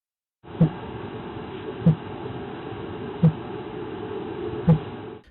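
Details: Fin whale recorded in the busy waters off New York City, where the species is present year-round, sped up about eight times: low, drum-like thumps repeating about every one and a half seconds over a steady hiss.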